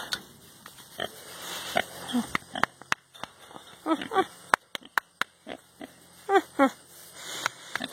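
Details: Happy pet pig, a male getting scratches and ear rubs, producing irregular low snuffly grunts with a few higher nasal squeaky notes in quick clusters around the middle and end, plus clicking handling sounds.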